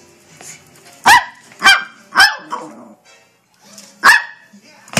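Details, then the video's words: Maltese dog, hyper and playing while being chased indoors, gives sharp high barks, three in quick succession, then a pause and one more, with a woman's voice faintly in the background. "Playing with my Maltese Harry"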